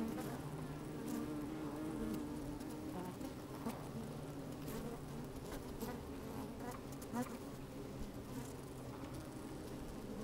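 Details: Honey bees at work inside an opened hive on a fine sunny day, microphone slid down among them: a steady low droning hum with wavering tones, scattered clicks and rustles as bees move about, occasional louder buzzes, slight wind.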